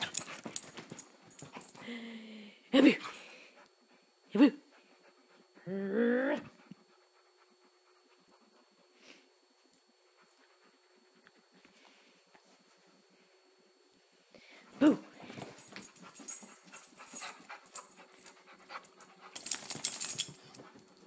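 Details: Luke, a pet dog making funny noises, recorded with an iPhone 3GS: sharp yelps and a wavering, harmonic whine in the first seven seconds, a long quiet stretch, then another yelp and rustling, panting-like noise.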